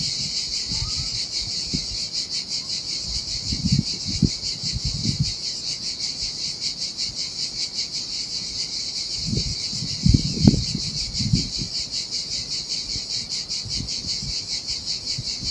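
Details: Cicadas in the heat by the sea in Sardinia keep up a dense, rapidly trembling high-pitched drone throughout. Scattered low rumbling bursts from the waves washing over the sand sound underneath.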